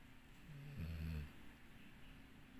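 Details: Dixie, a sleeping dog, gives a single low, rumbling snore lasting about half a second over a quiet indoor background.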